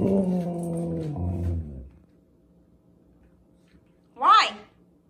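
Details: Female Siberian Husky "talking" about hating squirrels: a low, harmonic, drawn-out groaning growl lasting about two seconds, then quiet, then one short, higher, rising-and-falling yelp near the end.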